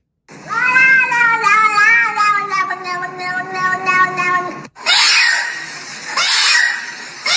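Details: Domestic cat giving one long, drawn-out meow that slowly falls in pitch over about four seconds, followed by short breathy, noisy bursts.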